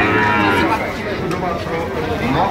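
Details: Sahiwal bull calves at a cattle market in Barishal, Bangladesh, give a drawn-out, harmonic-rich low moo lasting through the moment, over steady crowd chatter and people bargaining nearby.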